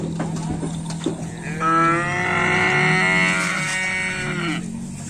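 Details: Racing cattle at a training session ahead of a karapan sapi bull race: a long, loud, harmonic moo lasting about three seconds, steady then falling at the end, over crowd noise and a low hum.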